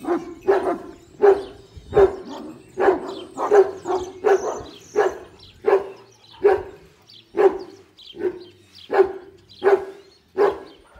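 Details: Kangal dog at a Kangal breeding farm giving deep, evenly spaced barks about once every second. Each bark is a short, full burst, and the rhythm holds steady throughout.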